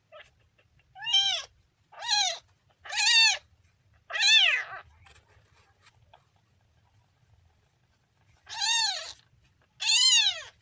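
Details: Kitten meowing: six high, arched harmonic-rich meows, four in quick succession about one second apart, a pause of several seconds, then two more, in a quiet indoor setting.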